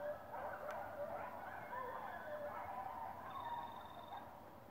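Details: Coyotes in Chester, New Jersey, giving a faint chorus of wavering, sliding howls and thin high yips overlapping for several seconds, quiet and distant with a steady background hiss.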